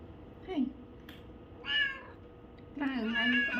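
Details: Domestic cat, one of four having their ears cleaned, gives a short plaintive meow, then a longer wavering, drawn-out meow near the end, with soft handling noises in a quiet room.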